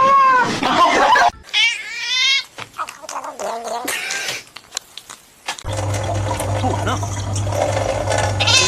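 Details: A domestic cat in a home gives two drawn-out, wavering meows in quick succession, followed by a woman speaking, a steady low hum and background music.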